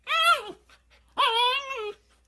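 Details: Pet dog indoors giving two short, high whining yelps, the second longer and sliding down, with quiet pauses between them.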